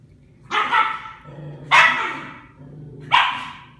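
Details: Dog at play, one of a group including a Bichon-Schnauzer mix and a Korean Jindo, giving three loud, rough barks about a second apart with quiet gaps between.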